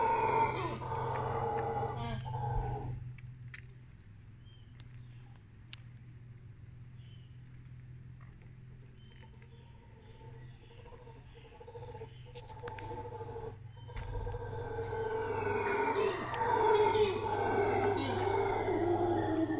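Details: Howler monkey wake-up call in the morning in the Tortuguero jungle at Aninga lodge, Costa Rica rainforest: loud, deep, rough roaring howls open and close the recording around a quieter middle stretch, over a steady high insect whine.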